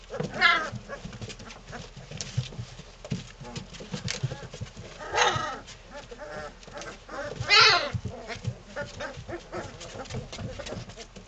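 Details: Three-week-old Belgian Malinois puppies having fun playing with each other: steady low growling under the tussle, with brief high yelping squeals near the start, around five seconds and again at about seven and a half.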